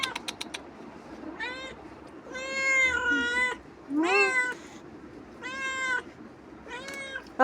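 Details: Domestic cat bothering its owner after returning from a roam, giving a run of five or six whining meows, several bending upward then sliding down, against a hiss of room noise and a few sharp clicks at the start.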